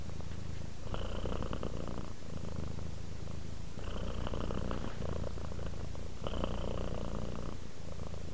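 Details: Purring from a domestic cat relaxing toward sleep, deep and steady, with three clear louder surges as breaths alternate, pulsing about every two and a half seconds.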